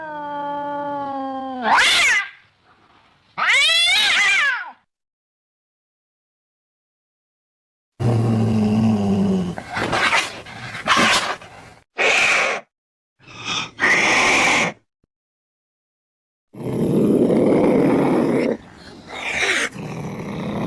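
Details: Cat sounds played to chase rats away: two clear meows, a long silence, then harsh, noisy yowling bursts and snarling outbursts, ending in a rough, sustained cry.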